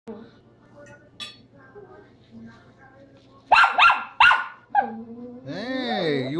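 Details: Tracie, a pet female Chihuahua, turns angry while being offered food indoors. Three sharp, high barks come in a quick burst mid-clip, then a whining, wavering vocal sound, with a man's voice talking before and after.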